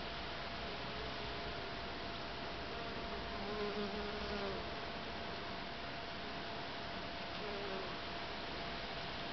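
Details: Western honey bees foraging flower to flower in a back garden give low, steady humming in flight, with a faint wavering drone rising and fading.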